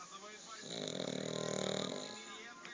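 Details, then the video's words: Dog asleep with legs raised lets out one drawn-out, buzzy snore lasting about one and a half seconds, rising and fading in a single breath. "собака спит, задрав ноги и храпит"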